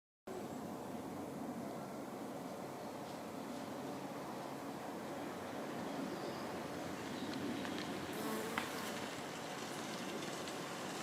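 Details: Honey bee foraging on the pink flowers of a flowering Hebe speciosa shrub; a steady, dense buzzing hum runs without a break through the whole recording, with a few faint clicks near the end.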